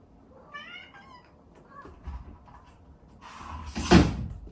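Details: Chatoran, a cream Exotic Shorthair kitten born 15 April 2019, cries indoors in the early morning after breakfast, wanting to see its owner behind a closed bedroom door: one short wavering meow, then thumps and a loud door-like bang.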